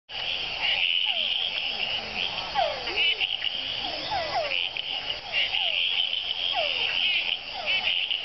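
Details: Tiny frog on a leaf in Panama: short downward-sweeping chirps repeat irregularly within a dense high-pitched chorus of trilling and buzzing callers that fills the whole recording.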